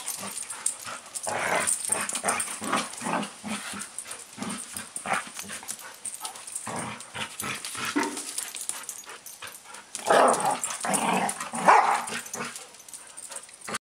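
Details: A pet dog meeting another dog for the first time, giving a run of short yips and whimpering barks in quick bursts, growing louder toward the end, with rustling movement in the background.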